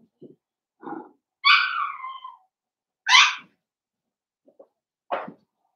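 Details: Puppy pen of five blenheim Cavalier King Charles Spaniel pups born around New Year's, indoors on pick-up day: soft low grunts lead into a drawn-out high whine sliding downward, then two sharp rising yelps spaced about two seconds apart.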